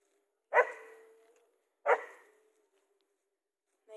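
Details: German Shepherd meeting a zebra for the first time, the zebra standing still; two loud single barks about 1.4 seconds apart, each trailing off, with Filipino speech around them.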